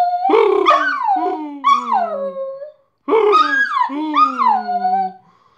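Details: A dog, Bosco, "sings" after fetching the mail indoors, howling in two drawn-out, wavering bursts with a brief pause between them.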